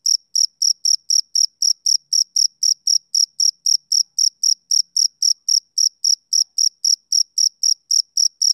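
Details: Rhythmic summer-evening chirping of a male cricket, short shrill pulses evenly spaced at roughly four per second throughout, on an otherwise silent background.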